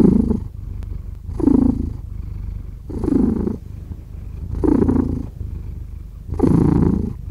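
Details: Domestic cat giving a rich rumbling purr, loud rhythmic pulses recurring about every one and a half seconds, five heavy swells over a softer continuous buzz.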